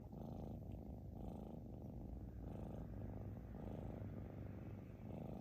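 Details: British Shorthair cat named Xiaoguai snoring loudly: a steady, low rumbling drone with rhythmic pulses rising and falling roughly every half second, matching its breathing, with no other sounds.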